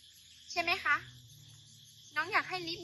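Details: Cat on Koh Chang island, Thailand, meowing during play with people. Two wavering, harmonic-rich meows sound about one and a half seconds apart over a constant high-pitched insect drone.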